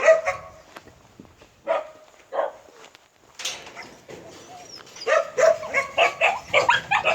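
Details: Purebred Jindo of the Chungjinhoe line barking, scattered single barks at first, then a quick, steady series of sharp barks toward the end, mixed with footsteps and handling noise.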